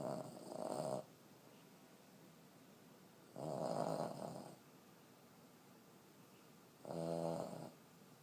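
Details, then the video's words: Elderly 14-year-old female Boston Terrier sleeping indoors, snoring hard: three loud rasping snores, each about a second long, spaced roughly three seconds apart with quiet breathing gaps between. "Cutest elderly Boston terrier snoring so hard"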